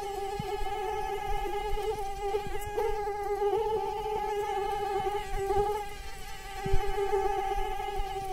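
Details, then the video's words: A flying mosquito produces a continuous, even whine that wavers slightly in pitch throughout. Soft clicks and a faint low rumble sit beneath it. "Mosquitoes Sound Effect"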